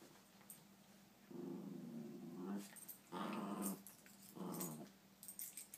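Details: Playing puppies in a small indoor room: three growling bursts after a quiet start, the first low and rumbling, the second and third louder and harsher, separated by short gaps with faint scratching sounds.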